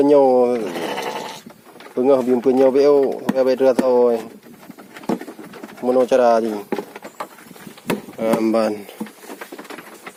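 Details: Gibas sheep on a modern farm raised to be sold after three months: trembling, quavering bleats in quick bursts, one long shaky call, then a cluster of pulsed calls, later two more wavering cries.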